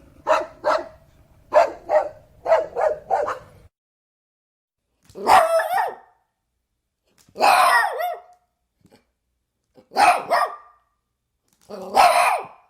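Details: A dog barking: a quick run of short sharp barks in pairs and triplets, then four louder, longer single barks spaced about two seconds apart.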